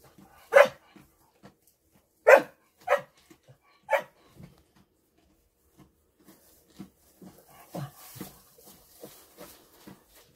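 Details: Female dog in the hay, barking four sharp, loud times in about three and a half seconds, the first two spaced widely and the last two closer together, followed by soft rustling and shuffling through the hay.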